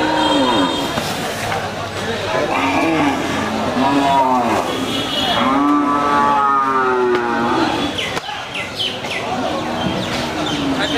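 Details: Cattle at a crowded Qurbani cattle market give repeated moos, several overlapping, with harmonic lowing calls rising and falling over a steady background of people talking.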